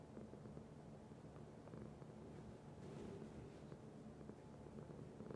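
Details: Domestic cat purring in a steady low rumble, evenly pulsing for the whole stretch, with a brief soft rustle near the middle.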